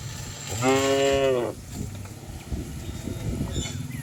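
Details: Single clear moo lasting under a second from cattle running down a green hill in the countryside, followed by quieter outdoor rustle.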